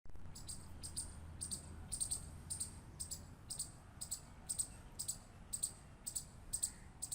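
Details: Squirrel. A squirrel clicks steadily: short, bright, high-pitched ticks spaced about half a second apart, keeping an even rhythm throughout. A dull, low rumble of background noise sits beneath the calls.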